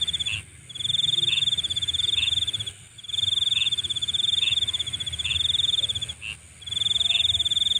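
Night insects trill in long, steady high-pitched bursts, broken by brief pauses.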